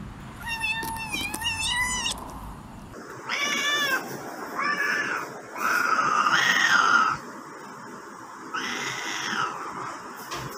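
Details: Domestic cats from a compilation of angry, happy and hungry meows: a quick quavering meow opens, followed by about four shorter, softer meows separated by pauses, over a faint hiss.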